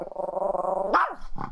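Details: Chihuahua fussing as its owner tries to go out, a long steady nasal whine ending in a sharp rising yelp, with a soft repeated soothing voice nearby.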